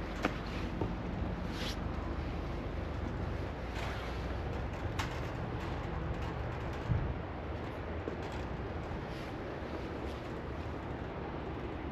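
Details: Steady outdoor background hiss and low rumble with a few faint clicks and a distant vehicle, no animal calls.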